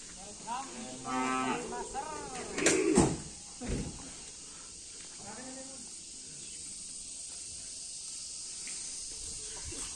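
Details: Bull from a karapan sapi bull-racing team: a few drawn-out, harmonic lowing calls near the start, followed by a man speaking Indonesian, then a steady background hiss.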